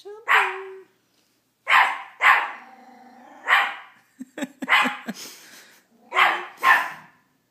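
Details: Teacup Miniature Pinscher named Chomper barking at his own reflection: sharp high yaps in pairs with pauses between, a short whine-like tone after the first bark, and faint clicks and scuffling in between.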